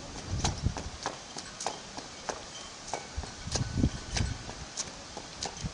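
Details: Four-year-old Clydesdale mare Arradoul Aria working under saddle in the school, 22 days after first meeting bridle and saddle. Soft hoof thuds land in pairs and clusters, each with a light knocking click.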